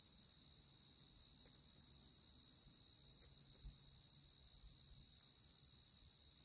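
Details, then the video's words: Male tree cricket (Oecanthus) in song, a constant shrill trill at a single high pitch running unbroken from start to finish over faint low background noise. "Tree Cricket"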